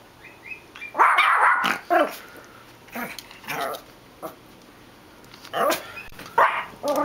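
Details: Dogs react to a dog barking outside: sharp, irregular barks about twice a second, some rough and growly, separated by short quiet gaps.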